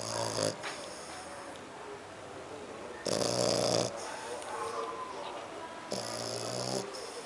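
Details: Deep, rasping snores from a dozing dog, a French Bulldog or a Pug. The grating breaths repeat at a steady pace about three seconds apart, with quiet breathing in between.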